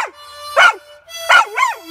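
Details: Lucy, a pet Labrador Retriever, sings along at night on a front porch as a harmonica plays: two loud wavering howls with rising and falling pitch, set against steady sustained harmonica tones.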